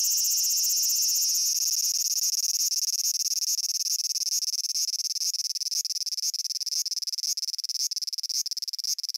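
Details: Cicada from Japan: a continuous shrill buzz that breaks into rapid pulsing, the throbbing beats growing sharper and more distinct toward the end.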